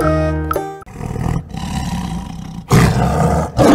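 A tiger gives a deep, rumbling growl that swells into two loud, harsh roars, after a brief musical tone at the start.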